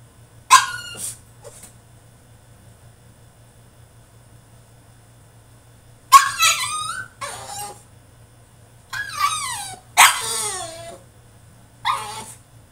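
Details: French Bulldog in his cage throwing a tantrum: scattered sharp yelps and squealing, wavering whines in a few bursts, with long silent stretches between them.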